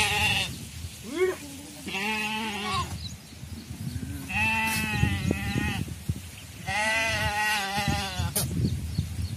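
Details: Bleating from a traditionally herded Indian sheep flock: several long, quavering, nasal bleats follow each other every couple of seconds, some sliding upward, over a steady background of low farmyard noise.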